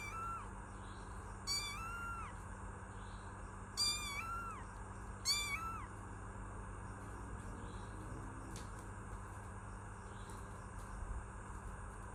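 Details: Kitten giving three separate meows, each a short rising-and-falling whine with strong harmonics, the first two about two seconds apart and the third soon after, followed by several seconds of only steady hum and hiss.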